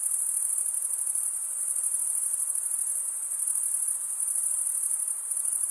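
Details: A chorus of crickets makes a bright, high, unbroken trill, flat in pitch and evenly pulsed, with only a gentle hiss behind it.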